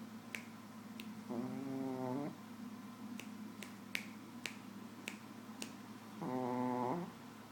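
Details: Sleeping Shih Tzu Nouchka gives two drawn-out, buzzing snores about five seconds apart, each a rough harmonic rasp, while sharp finger-snap clicks sound repeatedly in the pause between them.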